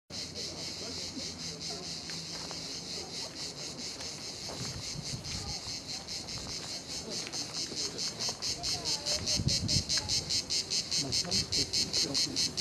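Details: Cicadas singing at La Garoupe on Cap d'Antibes, France: a dense, high, rasping buzz pulsing about twice a second, steadily growing louder, over low rumbling background noise.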